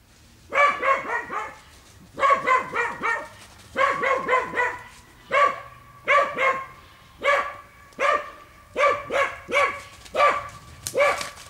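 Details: Dogs barking while working wild boar in a boar training pen: loud, harmonic barks in quick clusters of two to four, pauses between bursts, steady through the clip.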